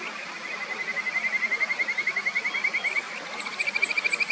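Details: Kajika frogs singing in a song battle in the clear mountain stream of the upper Natori River, Sendai, Japan: one long, steady pulsed trill lasting about three seconds, answered by a second shorter, higher trill, over babbling water.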